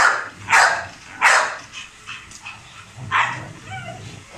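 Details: Male Rottweiler named Hummer during feeding and exercise: three loud, harsh barks spaced about a second apart, then softer yips, with a background hum throughout.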